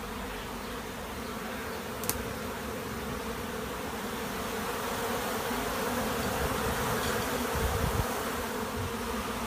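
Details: Swarming honey bees at a monastery apiary produce a continuous layered drone, thick and unbroken, growing a little louder in the second half, with a brief sharp click early on.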